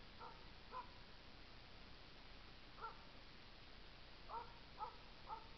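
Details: A Norwegian Elkhound working a moose barks at it, sharp distant barks singly and in quick pairs; recorded 29 August 2014.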